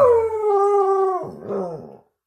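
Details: Domestic dog singing along with its human: a long howl that starts high and eases lower over one second, then breaks into a rougher, wavering tail before fading out.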